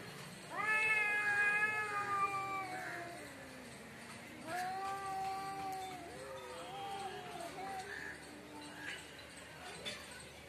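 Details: A cat in front of a house in Bangladesh gives long drawn-out meows, the first held about two seconds, then a second rising-falling meow and shorter wavering calls, with faint speech in the background.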